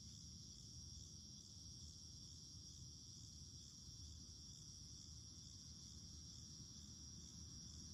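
Cicadas sing together in an unbroken, high-pitched buzz that holds several steady tones without pause. A soft low rumble, like wind or distant traffic, runs underneath.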